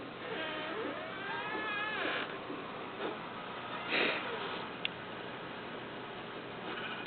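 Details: Pet dog Bentley whining indoors because he wants to go out: high, wavering whines that rise and fall in pitch through the first two seconds, then fainter scattered whimpers, ending with a sharp click.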